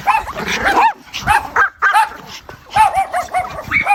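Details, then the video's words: Mother dog calling her puppies: bursts of high, arching whines and yelps with rich overtones, coming in close groups separated by short pauses. "MOTHER DOG CALLING HER PUPPIES SOUND EFFECT 🐶 MOM DOG SOUNDS"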